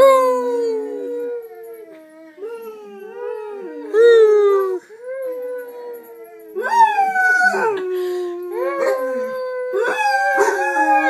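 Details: Pet dogs Gracie and Lilly howl indoors along with their owner, opening with softer whimpering and whining before long sliding howls build up, overlapping tones rising and falling, with louder swelling howls in the second half.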